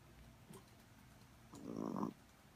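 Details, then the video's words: Snoozing Chihuahua: a brief faint snuffle, then a single half-second rasping snore near the end of a quiet indoor recording. "Snoring chihuahua!"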